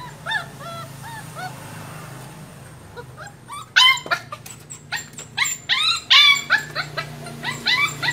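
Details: A Pug puppy just over a month old gives thin, high whimpers that bend up and down, starting softly then growing louder and more insistent, in quick pleading bursts as it tries to climb onto a vehicle to get back to its mother.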